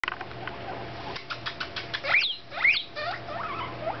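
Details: Two pet guinea pigs, Cappy, an Abyssinian boar, and Pash, a smooth-haired one, out for floor time indoors; a few short rising squeaks sound near the middle over steady pattering and rustling of small feet.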